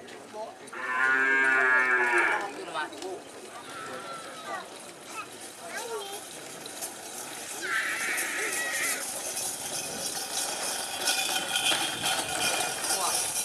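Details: Madura cattle, a champion racing bull from Sapudi island, at Kerapan Sapi bull racing in Madura, East Java, Indonesia; one loud drawn-out moo with rich harmonics near the start, a shorter call later, over crowd and outdoor noise.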